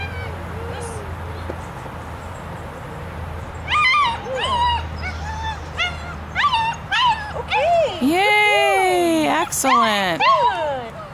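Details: German Shepherd puppy at obedience training: after a quiet start, a burst of loud, harmonic-rich whines and yelps, some long and swooping, packed together over several seconds while people talk and praise nearby.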